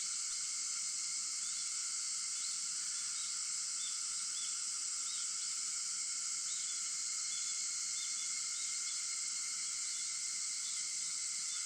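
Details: Cicadas calling at 4:50 in the morning on August 4, a steady dense high-pitched hiss of many insects with fainter sustained tonal bands below it, unbroken for the whole stretch.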